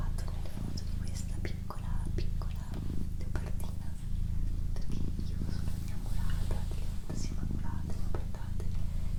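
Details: Doroti, a pet female cat, purring close up: a steady low rumbling drone with soft pulses, briefly interrupted about every second or two at breaths, overlaid by quiet human whispering and small clicks.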